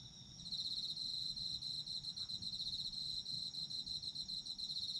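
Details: Insects of autumn chirping as a sleep soundscape: after a quiet start, a dense high trill of quick pulses sets in and carries on steadily, layered over a constant faint hiss-like buzz.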